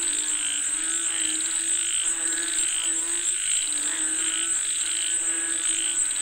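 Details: Frogs said to be calling for rain: a dense chorus of droning, harmonic croaks with pulsed notes repeating about twice a second, over a steady high-pitched insect whine throughout.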